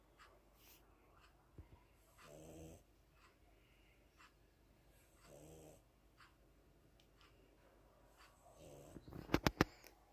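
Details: Cat snoring while resting indoors: soft, raspy, harmonic snores come roughly every three seconds with quiet breathing between them, and a few sharp clicks sound near the end.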